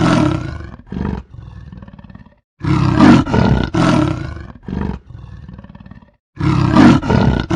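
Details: A leopard in the jungle gives deep, gravelly roars in a rough series of hoarse, grunting bursts. Some strokes are loud and full and others softer and breathier, with short silences between groups.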